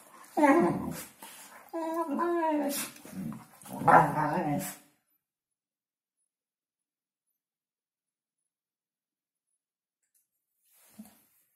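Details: Hungarian Vizsla New Year's talk: about five seconds of warbling, groaning vocal grumbles with rising and falling pitch, then near silence apart from one faint short sound at the end.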